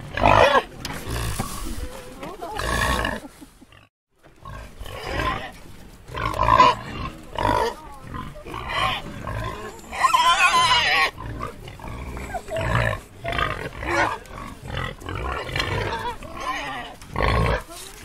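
A wild boar grunts and squeals in harsh, rough bursts separated by short pauses.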